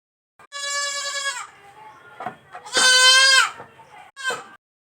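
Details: Baby goat on a farm calling in a close, loud series: a long shaky bleat, a second strong quavering bleat, then a brief clipped cry, with soft murmurs between.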